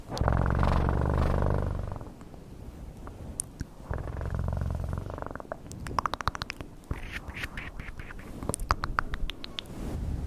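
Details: Domestic cat purring in a low, rumbling pulse for about two seconds, pausing, then purring again, followed by a run of sharp clicks and tapping handling noises.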